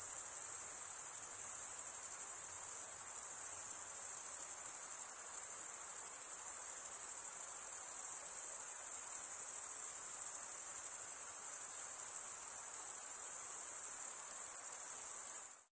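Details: Crickets chirping at night in a summer forest: one steady, unbroken, very high-pitched trill runs the whole way through at low volume, with no other clear sounds.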